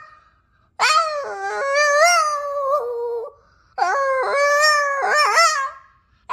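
A Boston Terrier gives two long, tuneful howls that rise and fall in stepped, sung-sounding notes.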